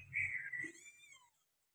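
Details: Persian cat, mother with kitten: a single thin, high, harmonic mew lasting about a second, holding steady then sliding slightly downward before fading out, with a faint low rumble underneath.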